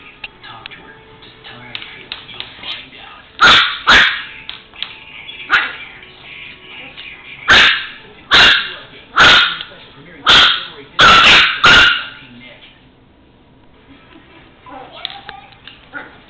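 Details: A 4-month-old female Chihuahua puppy, normally a rare barker, plays with a toy truck on the floor indoors and gives sharp, high-pitched yaps in an irregular series over a television-like background.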